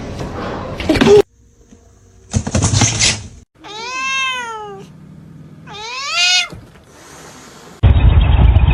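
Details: Domestic cat indoors giving two drawn-out, bending meows, each rising then falling, a second apart, framed by bursts of rustling noise and a woman's voice before and after.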